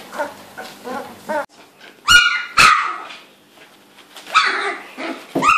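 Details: Labrador Retriever puppies, all female, aged 2-3 weeks, Gold Coast, Australia, playing and finding their voices: soft whimpers, then sharp high yelps in pairs, a quiet gap, and more squeaky yips closing the sequence.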